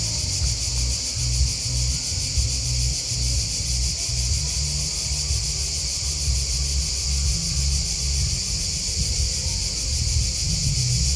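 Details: Crickets chirping in a dense, unbroken chorus: a steady high shimmering trill with fine rapid pulsing, holding level throughout, over a constant low rumble underneath.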